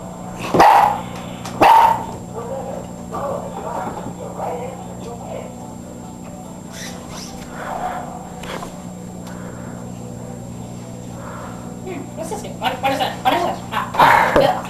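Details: Boxer puppy named Friday, newly brought home, giving sharp, high yipping barks: two near the start, then a cluster at the end, with a quieter middle of faint voices and a steady low hum underneath.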